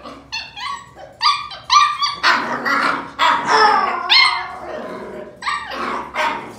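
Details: Siberian Husky puppy giving a run of high yelping barks and whines, some rough growl-like calls mixed in, repeated roughly twice a second with short pauses.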